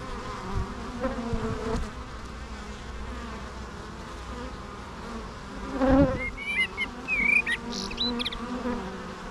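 Bees fill the air with a continuous low hum that swells and fades as they pass close. Toward the end, bright chirping notes from birds cut in above the buzzing.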